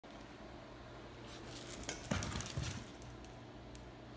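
A few light clinks and taps against a steady indoor hum, with no animal voice.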